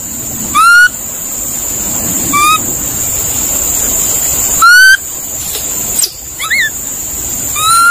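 A monkey gives short, rising, harmonic calls every couple of seconds over a steady high insect drone.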